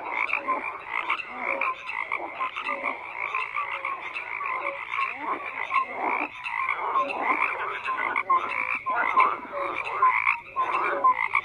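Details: Many frogs croaking in irregular rasping bursts, occasionally dropping out briefly before the chorus resumes, with short whistled notes mixed among the harsh calls.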